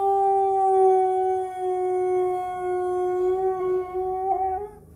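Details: Siberian husky howling indoors when prompted by its owner to sing into a microphone: one long, steady, rich tonal howl held for about four seconds, ending in a brief upward wobble and fade, with faint background music.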